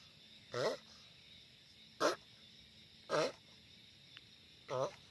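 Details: Loud giant sulcata tortoise giving four separate harmonic moans with wobbling pitch, about one every second or so, each brief and strong, over a quiet steady hiss.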